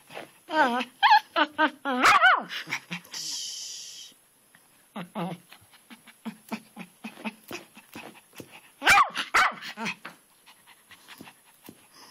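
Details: Twitch, a pet dog, barking at a garden rock on a rainy day while jumping back and forth: rising, whining high barks, then a run of shorter rapid barks, with a person speaking softly in between.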